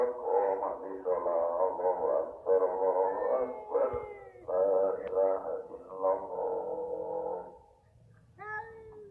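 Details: Domestic village cats fighting, giving long drawn-out wavering yowls in a harmonic-rich, moaning tone for about seven seconds with brief breaks, ending in a sharper rising cry.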